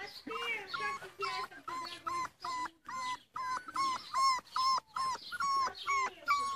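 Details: Rhodesian Ridgeback puppies at play give a rapid run of short, tonal whining yelps, roughly two or three each second, each a quick bent whine with bright overtones, briefly pausing between bursts.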